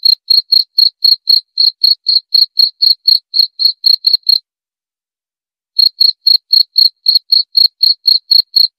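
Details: Cricket sound meant to calm the brain at bedtime and repel rats; bright high chirps at a quick steady pace, broken by a brief silence of over a second, then continuing.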